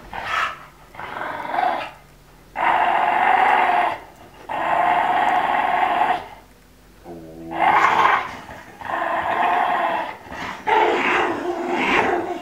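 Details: Female Olde English Bulldogge Elsa, with her ball stuck in her teeth, makes drawn-out nasal growling moans, several sustained bursts of about two seconds separated by short pauses, raspy and mid-pitched.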